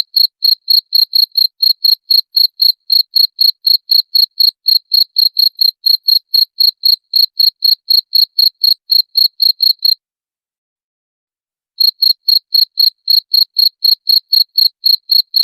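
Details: Cricket chirping, a recording offered to repel rats: clean high-pitched pulses repeated about four times a second in a steady run, broken by a silent gap of nearly two seconds before resuming. No other sounds.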